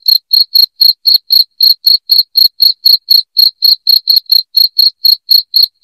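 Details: Cricket calling loudly and nonstop, meant to scare rats away indoors: bright, high chirps in a fast, regular beat of roughly four per second, with no background noise.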